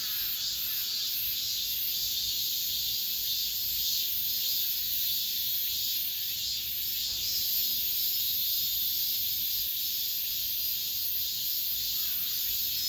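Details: A cicada chorus heard inside an apartment complex as summer ends, a relentless high-pitched electric buzz with soft rhythmic pulsing, sustained evenly from start to finish over faint low ambient noise.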